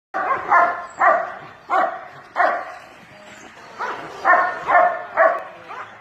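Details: A pet dog at bath time barking in sharp, rough barks, about two per second in bursts with short pauses.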